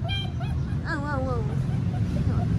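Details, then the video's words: Alaskan Malamute puppies attempting to howl like a wolf: a short wavering, falling howl with clear harmonics sliding down from high to lower pitch, with earlier brief yips, over a steady low background rumble. "Alaska puppies try to howling like Wolf"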